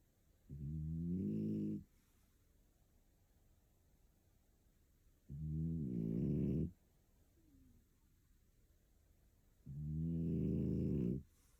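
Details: Pico, a sleeping female French Bulldog aged one year two months, living in Tokyo, snores loudly: three long, deep, rumbling harmonic snores, each over a second long and about four to five seconds apart, with quiet breathing between.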